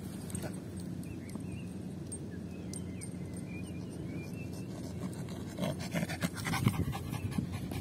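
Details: Lucy, a female Yorkshire Terrier, pants during a game of fetching the ball: soft, breathy, rapid huffs run steadily through the stretch, with faint rustling and a brief voice near the end.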